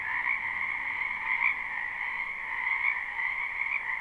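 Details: Wetland frogs in spring, recorded live behind a house: an overlapping, droning chorus of shrill trills holding one steady pitch band over a lower one, swelling slightly around the middle and end.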